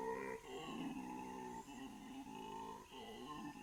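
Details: Wild howler monkeys calling in Bolivia's Amazon forest at dawn: a continuous moaning chorus of layered tonal voices, swelling and dipping in pitch with short pauses roughly every second.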